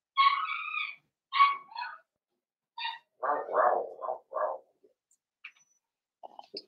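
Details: Young blenheim Cavalier King Charles Spaniel puppies, a litter of five born at New Year, vocalizing indoors in a puppy pen: high harmonic yelps and whines, then lower grumbling squeaks, in short bursts with pauses.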